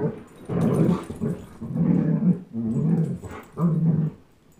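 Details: Two pet dogs, Chase, a 10.5-month-old German Shepherd, and Blizzard, a one-year-old Old English Sheepdog, playing tug of war: four low, rumbling growls, each about half a second to a second long, in steady succession.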